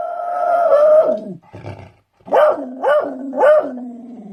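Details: Beagle barking: a long drawn-out baying note, then after a short gap three quick rising-falling barks each trailing into a lower tone.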